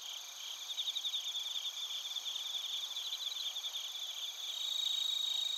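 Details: Overlapping chirps of bell crickets and other crickets recorded in Narita, Chiba Prefecture, Japan, using a TASCAM Portacapture X8. Rapid pulsed trills ride over a steady high-pitched ringing drone, swelling louder toward the end.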